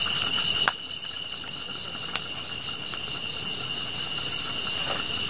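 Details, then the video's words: Grass insects calling beside a fire at night: an unbroken high, steady ringing trill under a very high, sharp chirp repeated about three times a second, with a few sharp crackles from the fire. "풀벌레 소리"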